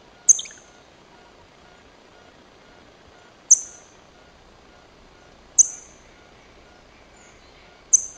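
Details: Sociable chipmunk met at the First Pillar rock, giving sharp, very high chip notes that drop quickly in pitch, four of them in eight seconds, spaced two to three seconds apart against a quiet background.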